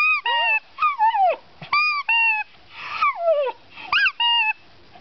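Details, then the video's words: Dog 'singing' in short yodelling yelps that arch up and slide down, about eight notes in five seconds, some bending into a falling whine. "Singing Dog"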